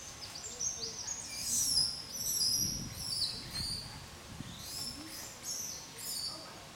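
A young langur cries with shrill, squeaky squeals that slide downward and come in irregular bursts. Faint low rumbling noise sits beneath the calls.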